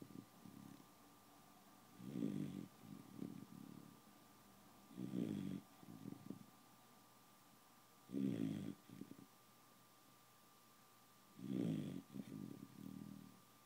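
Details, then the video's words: A pet beagle asleep and snoring: low, rasping snores come roughly every three seconds, each a loud burst trailing into softer fluttering breaths, over a steady faint electrical hum. "Beagle snore"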